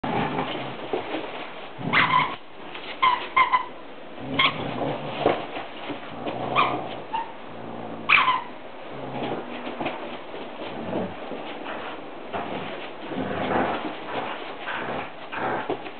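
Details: Two brown standard poodles, Coco and Skye, having fun with a toy monkey; short bursts of play noise with brief high squeaky tones near two, three and eight seconds, amid steady rustling and scuffling indoors.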